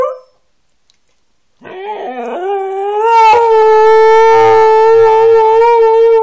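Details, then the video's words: After a brief silence, Kanu the Siberian Husky starts with a few rough, wavering notes that climb into a loud, steady, drawn-out howl held at an even pitch to the end. "Howling and talking Kanu, Siberian Husky"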